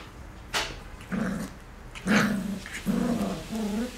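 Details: Three black Cocker Spaniel puppies at play, giving four short throaty growls about a second apart, each a low rumbling burst, between sharp clicks and scuffs from their romping.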